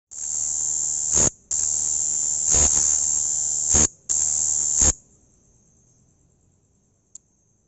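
A bush cricket stridulates in long, high-pitched, hissing buzzes broken by brief pauses.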